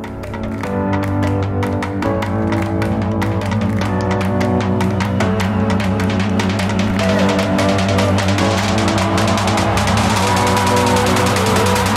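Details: No animal can be heard over loud, driving rock music with pounding drums, guitar and a steady fast beat.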